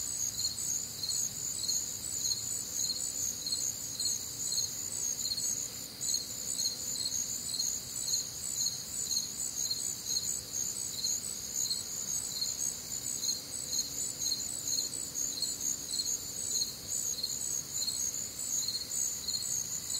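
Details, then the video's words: Midwestern crickets calling on a warm, humid summer night: an unbroken wall of shrill, rhythmic chirps around two per second from several overlapping insects, with no other clear sounds. "Night Time Cricket Sounds"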